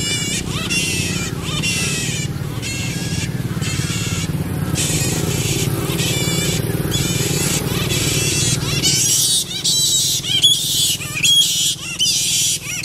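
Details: Pairing variable flying foxes give a long run of rasping, broadband screeches in quick irregular bursts, with a constant low droning hum beneath that drops away near the end.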